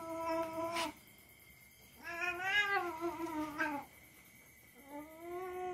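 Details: Domestic cat yowling during rough play with a young family dog: three separate drawn-out moaning cries, the middle one louder and wavering, each nearly two seconds, separated by short silences.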